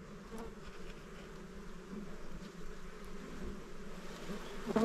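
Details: Honey bees around a small beehive while honey is taken, a continuous low droning hum, fairly even in level, with no other clear sounds.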